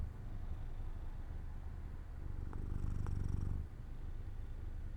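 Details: Pet cat Jojo drifting to sleep in sunlight beside an open window, giving a soft deep purr that swells briefly louder and rougher for about a second before settling again.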